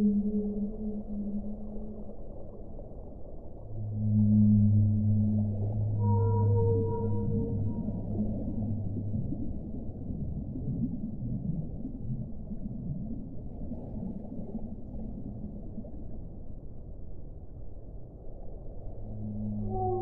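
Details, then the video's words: Singing whale giving deep, sustained humming moans in layered harmonics, a brief higher whistle-like note around the middle, and long low tones returning at the end amid continuous murky underwater noise. "1 ora di suono delle balene"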